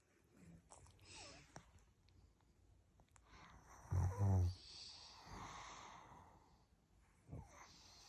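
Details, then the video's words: A pug dog snoring, each snore likened to a dinosaur: one deep, rumbling, throaty snort rises midway through, framed by faint breathing and quiet indoor room noise. "Pug snoring like a dinosaur"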